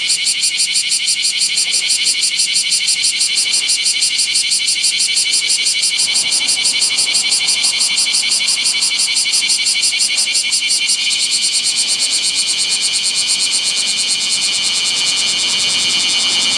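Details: A bear cicada beside a national road in Japan, midday on 7 August 2020 in heat above 39°C, sings a loud, harsh, rapidly pulsing buzz without a break.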